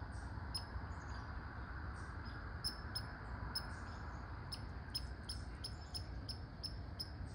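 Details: A red squirrel calls with rapid, clipped, high barks, sometimes paired, that come faster toward the end, above a constant low hum of background noise.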